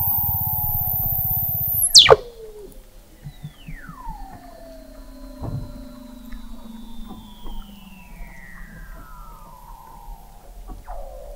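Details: Under the sea ice of McMurdo Sound, Antarctica, Weddell seals call, November 2017, from 21 m depth: a low pulsed buzz with a very high steady tone, an abrupt drop, then gliding descending whistles.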